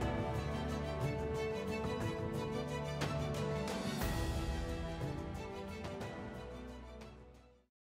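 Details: Only instrumental music is heard, a steady thumping beat with sustained tones that fades out at the end, and there are no animal calls.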